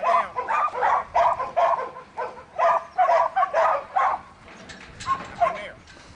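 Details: A young male Border Collie named Buttons, in training, barks in a steady run of short, harsh yaps about two or three a second, tapering off near the end, with a handler's voice giving commands.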